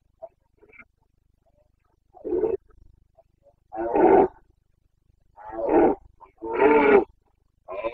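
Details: Carpathian stag in the Bucovina mountains bellowing during the breeding season, 29 September 2022: loud, raspy roars of roughly half a second each, repeated at uneven gaps, with several roars packed close together near the end.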